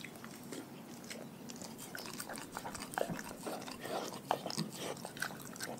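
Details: Dogs from a pack chewing raw food in a small room, crunches and sticky smacking bites coming in quick irregular bursts, steady low background hiss.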